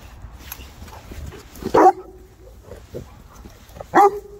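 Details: Three Boerboel dogs, South African mastiffs, at play: two loud clipped barks about two seconds apart, with a softer yip between and low background rumble.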